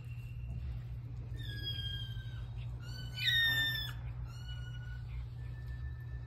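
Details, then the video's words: Cat freaking out at the sight of meat, giving a run of high, drawn-out, strained cries, each held about a second with a slight downward bend, one louder and rougher in the middle, over a steady low hum. "cat freaking out at the sight of meat"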